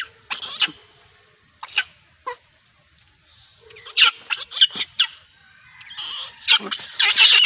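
A monkey gives shrill, harsh screams in short, irregular bursts.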